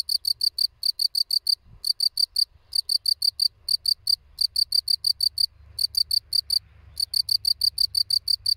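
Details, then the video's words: A field cricket (Gryllus campestris) gives steady, shrill chirps, each a quick burst of three or four pulses, several per second. "Świerszcz Polny (Gryllus campestris)"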